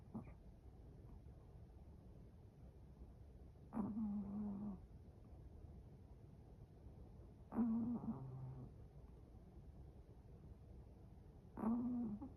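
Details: Chihuahua asleep, snoring in a slow, regular rhythm: three low, buzzy, droning snores roughly every four seconds, each lasting about a second with a rough rattling edge, separated by near-silent breathing in a quiet room.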